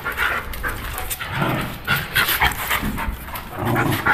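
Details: A pit bull dog panting and huffing in rough, noisy bursts during lively play, while a man repeatedly gives short commands in Portuguese telling it to give and let go.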